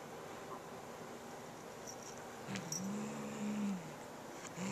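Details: Low droning growl from a pet cat guarding a new feather toy from its little sister, a single sustained rising-then-level moan about a second long after a quiet stretch, faint clicks above.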